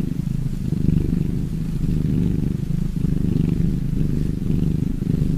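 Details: Cat purr, a deep rattling rumble sustained throughout, softly rising and falling with each breath cycle roughly once a second.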